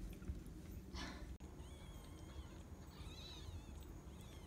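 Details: Mercury's rescued kittens, 4 to 11 days old, giving faint, thin, high mews in two short bursts after a brief rustle, over a steady low hum.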